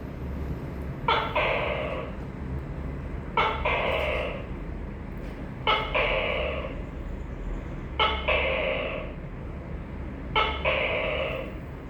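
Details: Tokay gecko calling five times in a regular rhythm, a call about every two and a quarter seconds. Each is an abrupt first note followed at once by a longer, rich, croaking syllable, over a constant low hum.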